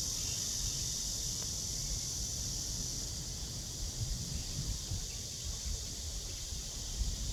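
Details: A cicada calls from a tree beneath blue sky on a morning walk, 23 August 2020, 09:27, its thin high continuous drone sitting over a rumbling low background of wind or distant traffic.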